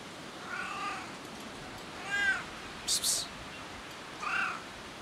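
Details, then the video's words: Domestic cat rolling on a parked car, making weird sounds: three drawn-out harmonic meows, the middle one loudest and wavering, over steady outdoor background noise with a brief sharp rustle between calls. "Cat rolls on someone's car and making weird cat sounds!"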